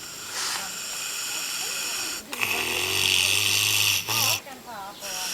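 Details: Snoring pig on a farm in New Zealand, giving long noisy rasping breaths that fill the clip, with people's voices and brief talking toward the end.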